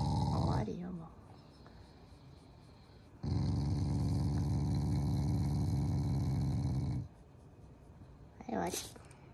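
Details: Family Shiba Inu growling affectionately toward its owners during its morning routine: a sustained low, throaty rumble lasting about four seconds, with brief rising vocal sounds near the start and end.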